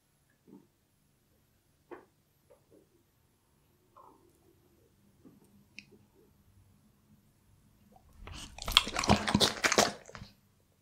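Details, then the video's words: Bull Terrier eating raw beef indoors: a few soft scattered mouth clicks, then a loud dense burst of wet crunching chews near the end, about three seconds long. "ASMR Bull Terrier Reviews Raw Beef Cuts"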